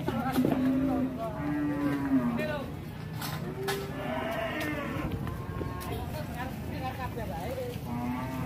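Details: Cow on the loose, running amok into a warung, gives a short flat moo in the first two seconds, followed by shouting people, clatter and background music.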